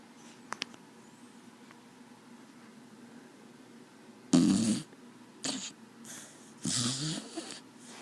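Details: Sleeping dog named Desi snores: after a few quiet seconds, loud raspy snorting breaths come in bursts, one strong at four seconds, a short one near five and a half, and a long rattling one near seven.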